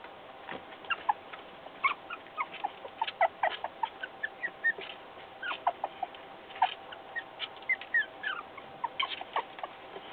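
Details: Puppy trying to escape, giving short, high squeaks and whimpers in rapid, irregular bursts, some several per second, over a faint steady background hum.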